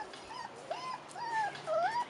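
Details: Rottweiler puppies, four and a half weeks old, outside for the first time, giving thin high whines that rise and fall in short bent slurs, several overlapping in two seconds, with a soft steady background hiss.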